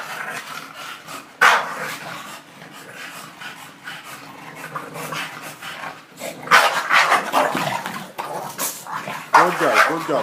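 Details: Female bulldog fighting and angry, giving loud bursts of rough growling and barking, several close together near the end, while a man keeps urging her on with "come on" and "good girl".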